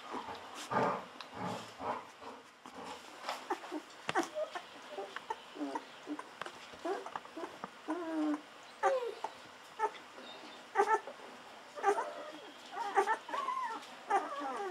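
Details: Hungry Golden Retriever puppies fourteen days old taking bottle milk, giving high squeaky whines and little wavering squeals among loud slurping and smacking clicks, squeaks returning in clusters throughout.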